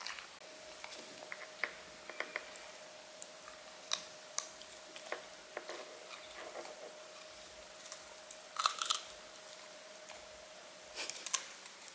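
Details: Crisp crunching and chewing clicks scattered through the clip, with a thin steady tone and quiet room background underneath.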